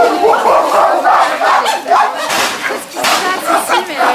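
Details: A group of chimpanzees at CCC is excited as they head out to their enclosure. Their loud, continuous chorus of shrill screams of joy rises and falls in waves.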